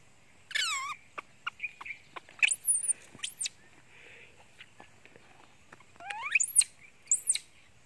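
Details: Hungry monkey Janny screams for her mother, face hidden under a towel; piercing high squeaks sweep steeply upward in quick pairs, with scattered soft ticks and low background hiss between outbursts.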